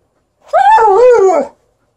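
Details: Female Alaskan Malamute playing with her ball on a bed, giving a single drawn-out, wavering whine-howl of about one second that rises and dips in pitch, with no other sounds.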